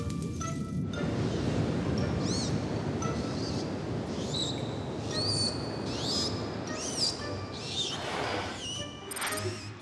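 Dolphins trill with high, swooping whistles that rise and fall, calls that help them find each other.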